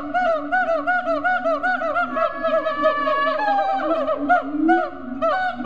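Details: Captive siamangs at Riverbanks Zoo, Columbia, South Carolina, giving loud rhythmic hoots with bouncing up-and-down inflections, a long drawn tone near the middle, and a low booming layer beneath, multiple callers overlapping.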